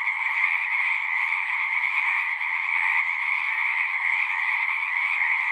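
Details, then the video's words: Pond chorus of frogs in a horse pasture, captured on a Zoom 6; countless overlapping trills merge into a continuous shimmering drone, even in loudness from start to end, no other sounds standing out. "Frogs singing"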